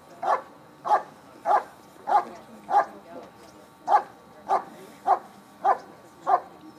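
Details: Bark and hold at the 2013 Schutzhund USA Nationals: a dog delivers regular, punchy barks about every 0.6 seconds, eleven in all with one brief gap, against a faint murmur of spectators.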